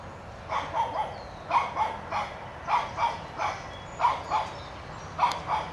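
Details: Toby, a one-year-old Shih Tzu puppy chasing a whitetail deer from his yard, barks in paired yaps, double barks about once a second, over low outdoor rumble.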